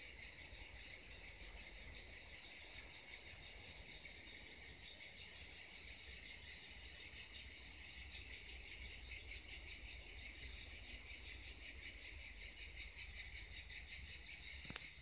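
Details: A chorus of cicadas near the Black Sea coast gives a continuous, shrill, buzzing drone that holds steady with faint rapid pulsing and a brief click near the end.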